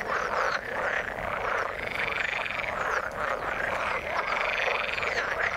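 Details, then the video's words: Croaks and trills from many frogs in the water merge into an unbroken chorus, with repeated short chirps and a bright trilled band running through the whole stretch. "Frog sound in the water"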